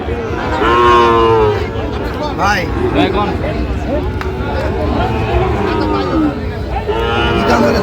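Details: Sahiwal bull at a busy cattle market in Narayanganj, recorded on 30 January: a loud, drawn-out, low harmonic moo early on, followed by shorter lowing sounds over steady crowd chatter and bargaining voices.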